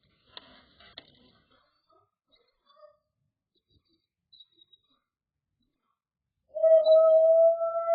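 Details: A male Dobermann, calling for his pack, gives a steady, sustained howl after a few faint scattered sounds.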